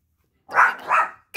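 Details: A female Chorkie puppy barks at her own shadow: two quick, sharp barks in rapid succession, mid-pitched and slightly rough.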